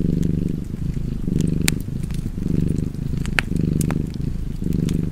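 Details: Deep rhythmic purring of a cat, five even swells of rumbling sound, accompanied by light crackles from a burning fireplace.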